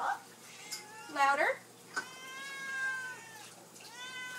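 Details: Pet cats indoors meowing for their supper, asking for food; several drawn-out meows, some rising then falling, one loud and wavering, while a woman talks to them and urges them louder.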